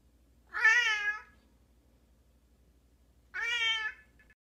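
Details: Pet cat from a compilation of cat moments, giving two clear meows about three seconds apart, each a harmonic-rich, slightly wavering drawn-out call, the second shorter and ending abruptly; quiet indoor background with a faint low hum.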